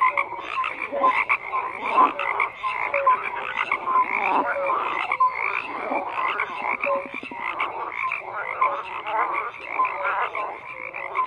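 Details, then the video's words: Croaking frogs in full chorus. Rasping calls rise and fall in uneven pulses, and brief whistled notes repeat against the continuous background of many voices. "FROGS CROAKING"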